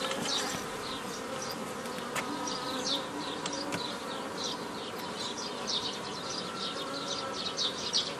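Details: Buzzing honey bees as a hobby beekeeper splits a foraging swarm into nucleus colonies, 15 May 2018; a continuous hum under repeated high chirps from birds and occasional sharp taps.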